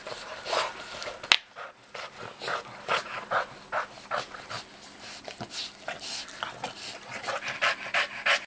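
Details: Chaz, a pet dog, playing with a Baby Elmo toy: steady rapid breathy panting in short bursts roughly every half second, with one sharp click early on.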